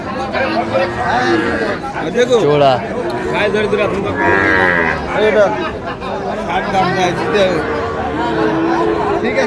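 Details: Sahiwal bulls in Tangail, Bangladesh, 9 May 2025, during a farmer's purchase; drawn-out lowing moos mixed with loud overlapping talk from a crowd of people.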